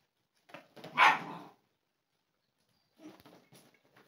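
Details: Dogo Argentino puppies, a 3-month-old female and an 8-month-old male, indoors; one gives a single short, harsh bark, followed by a pause and faint scuffling and small noises.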